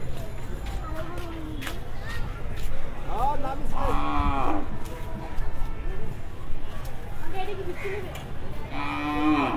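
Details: {'text': 'Cattle unloaded at a Dhaka livestock market between two and three at night ahead of Qurbani; a rough, falling moo near mid-clip and another deep moo at the end, with chatter and market commotion throughout.'}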